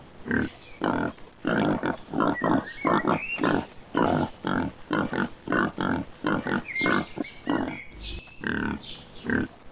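A pig grunts steadily, short low snorting grunts coming irregularly about one or two per second, with a brief squeal near the end.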